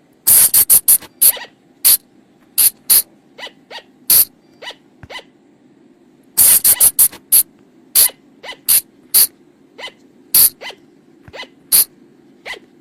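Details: Night-time lure sound for flying lemurs recorded in the forest: piercing, high squeaks in quick clustered runs, then sparser single notes spaced about a second apart, with a soft steady hum beneath.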